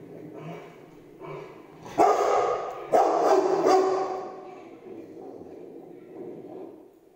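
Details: Rottweiler barking at a lion on television: two loud, harsh barks about a second apart, then a further noisy burst, over ongoing television sound.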